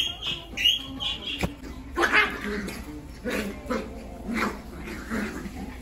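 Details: An energetic Jack Russell Terrier gives short, high yips and soft whimpers in brief bursts, with faint human speech and indoor background noise.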